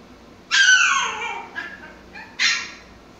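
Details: Playing with toys, the Pomsky Mikey gives a long high yelp that slides downward, then a fainter short note and a final sharp bark.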